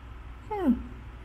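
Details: Barang, an old, tiny orange cat who had been straying and came home for napping, eating and an ear cleaning, lives in open space beside a busy road; one short meow sliding downward in pitch, over a low traffic rumble.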